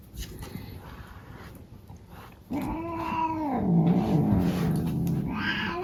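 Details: A male house cat under the brush gives a sudden drawn-out yowl that starts steady, slides downward and settles into a low rumbling growl, after soft rustling in a small room.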